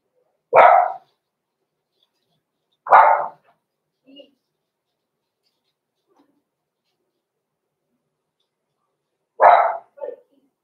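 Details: Blenheim Cavalier King Charles Spaniel puppy, six weeks old, indoors in a puppy pen: three sharp single barks spaced a few seconds apart, one followed by a soft short yip, with silence between.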